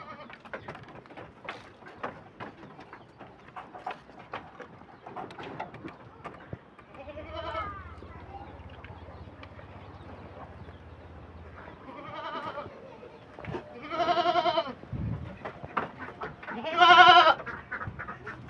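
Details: Hungry farmed goats at feeding, stripping fodder down to bare twigs; several loud, wavering harmonic bleats come in bursts over the second half, with rustling of leaves and a man talking softly beforehand.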